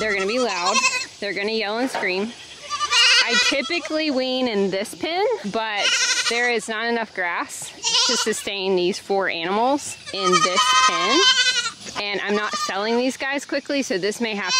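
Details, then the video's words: Goat kids screaming during weaning, an intense crowded chorus of loud quavering bleats, many high and shrill, overlapping continuously with only short lulls. "IT'S TIME TO WEAN the BABY GOATS! SO MUCH SCREAMING!"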